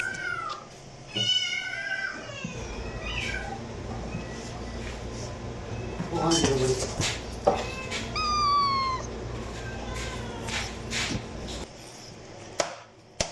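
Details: Domestic cat giving a few rising-falling harmonic meows near the start and again around the eighth second, separated by stretches of rumbling background noise and faint clicks.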